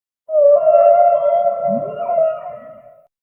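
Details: Humpback whale giving one long, steady tonal moan rich in overtones, with a short low upward-sweeping note partway through, gradually softening over nearly three seconds against complete silence.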